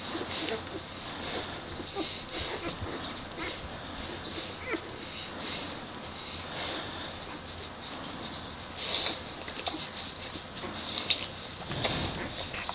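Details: One-day-old puppies of Demi's litter give faint, high squeaks and soft whimpers, scattered irregularly through a steady background hiss, with a brief louder burst near the end.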